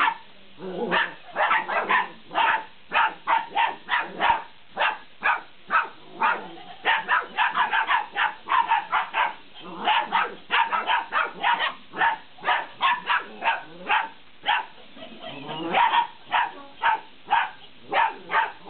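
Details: A long, frantic string of high-pitched puppy yaps from 50-day-old Belgian Malinois playing with a laughing cat toy, barks coming two to three per second almost without pause, with a few lower, rougher notes near the end.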